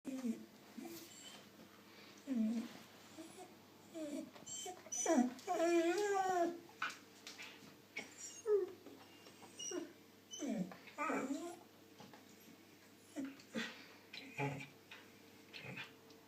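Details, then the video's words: A 4-year-old female Australian Shepherd, being silly, makes a run of whiny, yodeling vocal noises, rising and wavering between short grumbles. "Australian Shepherd makes funny noises"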